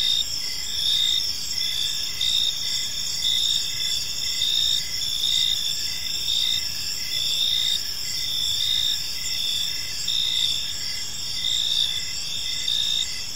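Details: Park crickets at evening produce an unbroken high trilling chorus, with one caller pulsing in quick regular bursts over the steady drone of others and a soft low background hum.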